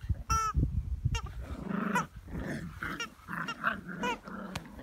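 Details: Eight-week-old Jack Russell Terrier puppies play with their mother: low rumbling growls run under short, high yelping yips, with a sharp squeal near the start and brief scuffling pauses between bursts.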